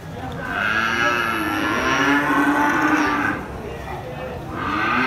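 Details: At the Muaro Paneh cattle market in West Sumatra, Indonesia, one cow gives a loud, sustained low moo lasting about three seconds, then begins another. A steady murmur of the crowded market sits behind it.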